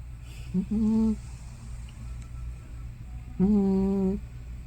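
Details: A sleeping old cat named Hana, probably over 15 years old, gives two short, steady, nasal moaning tones about three seconds apart, like snoring or talking in her sleep, over a quiet indoor hum.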